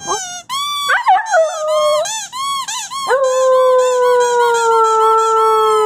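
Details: Young wolfdog pup, 5 weeks to 4 months old, howling: wavering, broken yips and quavering notes slide into one long, steady, slowly falling howl over the last three seconds, with rich clear harmonics and little background noise.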